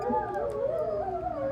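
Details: A whole pack of five wolves plus an Alaskan Malamute howling together; several long, overlapping wavering tones weave and slide over each other in a continuous chorus.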